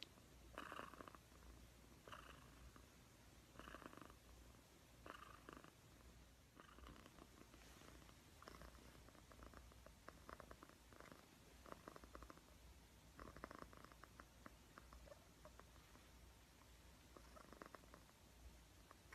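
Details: Purring cat heard up close, a continuous low vibrating rumble swelling in breathy bursts about every one and a half seconds, steady and relaxed throughout.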